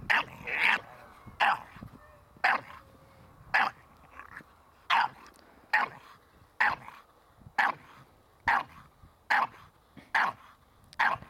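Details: Staffordshire Bull Terrier puppy named Ares during protection training with a handler, giving sharp, high barks repeated about once a second in a steady run across the clip, with faint background noise between them.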